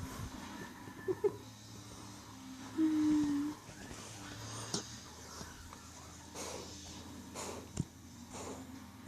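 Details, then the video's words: Jackie Boo Boo, an 8-week-old puppy, snoring: soft, wheezy breaths with a short, steady low nasal tone near the third second, then quieter rasping breaths and a few faint clicks. "Jackie Boo Boo is snoring puppy dog"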